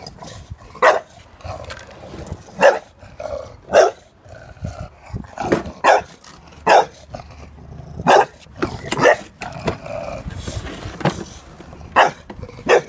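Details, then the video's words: Jack, a dog, barking at a lawnmower: loud, abrupt single barks spaced irregularly one to two seconds apart, with low mechanical rumble underneath. "Jack does not approve of the lawnmower"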